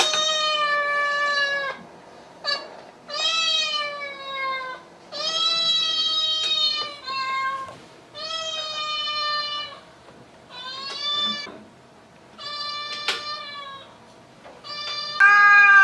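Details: Domestic cat in a funny animals compilation, meowing loudly in a series of about seven drawn-out, clear, tonal meows, each a second or longer, some falling in pitch at the end, separated by brief pauses.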